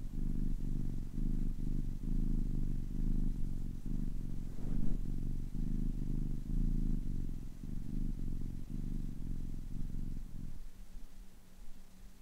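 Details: Purring of a kitten aged ten weeks: deep, continuous rumble pulsing with each breath about once a second, steady for most of the stretch, then fading to a softer, thinner hum near the end.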